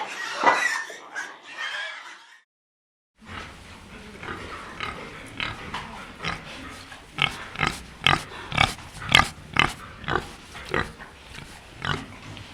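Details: Domestic pig giving rapid, harsh grunts and snorts after a short gap, bursts repeating roughly twice a second and growing louder toward the end.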